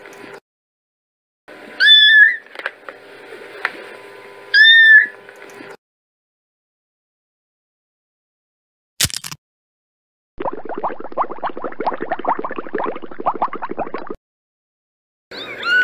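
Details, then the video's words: Kittens meowing: two short, bright meows about three seconds apart, then a long silence, a sharp click and a stretch of rapid rustling or scratching noise, with another meow starting at the end. "Gatinhos Miando - Som de Gato"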